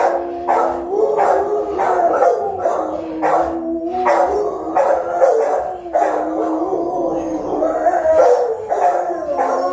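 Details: Guard-duty Rottweilers watch a home, with the round, resonant, forceful voice of Melsee and her young Siro joining in. Continuous loud tonal barking with howling, wavering harmonics, and short bursts repeating under a second apart for nearly ten seconds.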